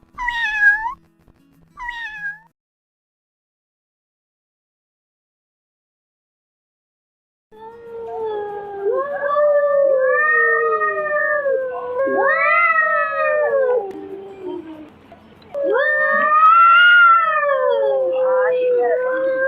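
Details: Domestic cat meow variety: two short high rising mews, a five-second pause, then a run of long, wavering, arching meows that rise and fall in pitch, some nearly continuous, ending in a drawn-out plaintive call.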